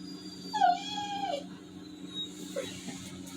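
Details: Labrador Retriever at home, sad because rain cancelled his walk, voices a wavering, drawn-out moaning whine lasting about a second, followed by quieter faint sounds and room hum.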